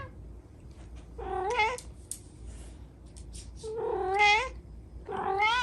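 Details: Kittens crying with three plaintive, upward-bending meows spaced one to two seconds apart, over low indoor background noise and a few faint clicks.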